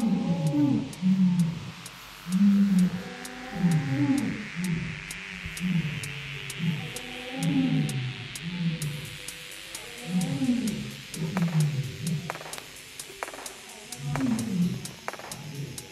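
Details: Lion kept at Taigan safari park, Crimea, in spring 2021, delivers a series of deep, grunting roars, each a short heavy huff repeated roughly every second and a half, over soft background music.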